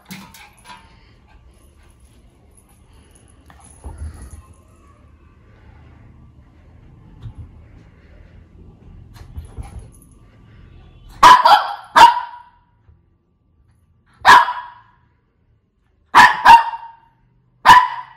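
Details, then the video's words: Shih Tzu: low rumbling handling noise for about eleven seconds, then a run of about seven short, sharp barks, some in quick pairs, spaced a second or two apart. "Shih Tzu Barking"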